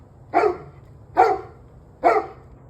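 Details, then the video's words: Dog on 21 November 2023 at 7:06 pm delivering three evenly spaced, abrupt barks about a second apart, each a brief harsh burst over faint low-pitched background noise. "26 Minutes of Barking Dogs"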